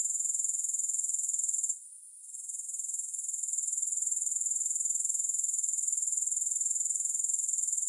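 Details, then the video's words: Grasshoppers calling with no background music: a bright, high-pitched rapid pulsing whir that briefly fades near the second mark, then builds back to a steady shimmer. "3 Hours of Grass Hopper Sounds"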